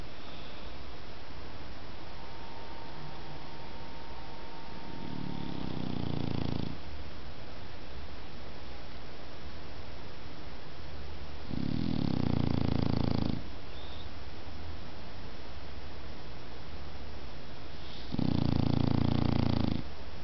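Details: Dog asleep and snoring: three deep, buzzing, rough snores of roughly two seconds, spaced about six seconds apart, each rising gently then cutting off, with a still indoor background.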